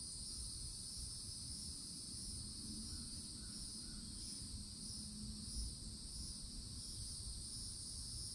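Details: Cicadas at a forest edge in Florida in summer drone in a steady, high, shimmering buzz that never breaks, over a low rumble of wind.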